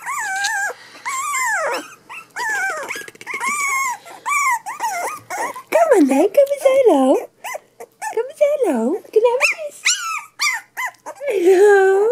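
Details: Cavachon puppies three weeks old whining and squealing almost continuously, with wavering high cries and some lower moaning whimpers, while a person speaks softly nearby.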